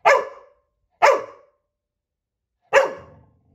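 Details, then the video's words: Puppy named Coco barks at her reflection, giving three loud, clipped barks: two about a second apart, then a short pause before the third. "Coco barks at her reflection"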